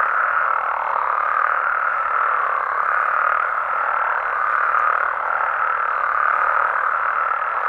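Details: Night chorus of frogs and toads in Mexico, a thick, even wall of overlapping croaks holding steady for the whole stretch, without pauses or any other clear sound.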